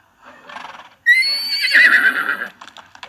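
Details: A horse gives a breathy huff, then a loud, high whinny that starts abruptly, wavers downward for about a second and a half, and fades into a few soft snorts.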